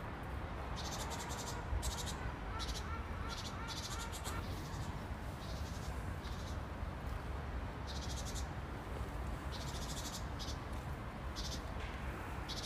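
A grasshopper gives short, dry, rasping bursts of buzzy ticking, repeated in uneven bouts over low wind rumble.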